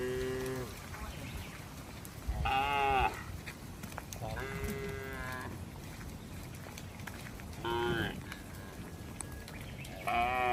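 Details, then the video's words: Cattle in a herd roaming along a road. Short harmonic calls, each under a second, come about every two to three seconds over a steady background hum. "Rombongan sapi berkeliaran di jalan suara sapi bunyi"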